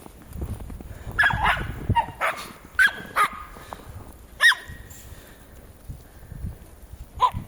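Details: Jack Russell Terriers Treisy and Azzuro outdoors; one gives short, high yipping barks at irregular intervals, about six over several seconds, some sharp and rising, against a quiet outdoor background with light rustling.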